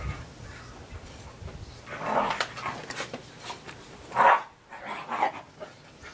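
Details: Three-legged Australian Terrier puppy playing in the snow gives short, rough barks and growly yips, with a loud burst about four seconds in, over a background of scuffling and rustling.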